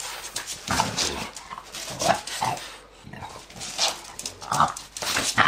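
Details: Ten-year-old French bulldog playing with its owner like a puppy; short snorting, grunting bursts with a few brief whiny tones, coming in irregular clusters with a pause near the middle, plus rustling and handling noise.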